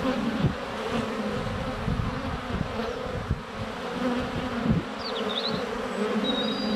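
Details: Honey bees circling a hive entrance on a sunny February day, GoPro under a foot away: rumbling buzz with occasional bumps as bees touch the camera, plus thin high bird chirps and whistles toward the end.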